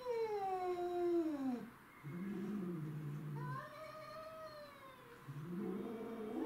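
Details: Territorial fight among domestic shorthair cats, including a neighbourhood stray: drawn-out falling howls alternate with low, rough growling stretches, and the yowling rises again near the end.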